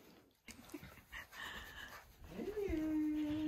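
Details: Siberian Husky greeting its owner indoors: a long tonal whine that rises briefly then holds steady and slightly falling, following soft speech from a woman talking affectionately to the dog.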